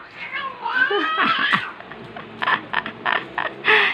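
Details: Angry cat giving a harmonic, wavering yowl with rising and falling growled tones over the first second and a half, then short hissy bursts, while a person repeatedly calls the name Sofie.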